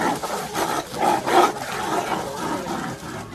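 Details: Two wild tiger sisters fighting over territory in Ranthambore Tiger Reserve: harsh, rasping roars and snarling growls in quick overlapping bursts, rising and falling in loudness, with some rumbling noise.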